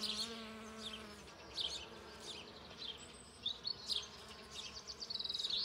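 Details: A Western honey bee with full pollen sacs, collecting pollen on a flowering ceanothus shrub: its low, steady wing buzz hums briefly, then fades under high, chirping birdsong.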